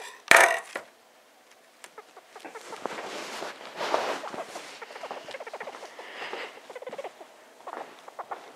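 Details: Noisy little pet hamster Star, a female aged just over two, sniffing around and squeaking: one loud knock at the start, then a dense run of soft, rapid squeaks over rustling bedding.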